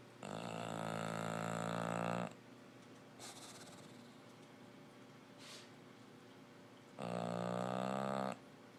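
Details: Sleeping English Bulldog snoring: two long, loud, rasping breaths with a rich buzzy tone, separated by a quieter stretch of soft breathing and faint snuffles.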